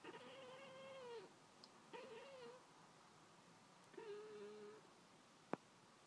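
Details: Pet cat Pringles chattering away at birds outdoors from inside the house: three drawn-out, quavering, bleating utterances, each about a second long with short pauses between, then a single sharp click.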